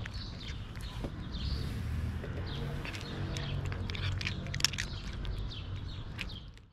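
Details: Friendly female tabby cat purring after coming to trust a person: a steady, low, continuous rumbling hum through the whole stretch, with bright chirps from birds scattered above it.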